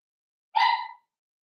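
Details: A single short, bright yap from a five-week-old Cavalier King Charles Spaniel puppy of Daisy's litter, kept in an indoor puppy pen, the tone clear and stacked with harmonics.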